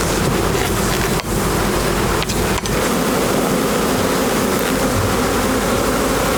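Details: Bees hum in a steady, low drone beside a crackling fire, beneath a dense wash of broadband rushing noise.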